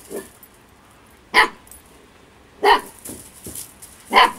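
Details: Playful female Husky puppy, 8 weeks old, barking in play: three sharp, bright yaps spaced over a second apart, with a faint softer yip at the start.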